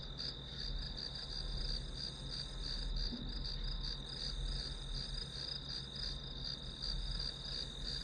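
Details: Grass insects calling as study background noise: a steady high-pitched trill with faint rapid pulsing runs throughout, over a constant low room hum.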